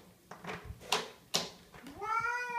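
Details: A male house cat howling indoors after knocking things over in the kitchen: a person's speech and knocks come first, then a loud, drawn-out, rising and wavering yowl at the end.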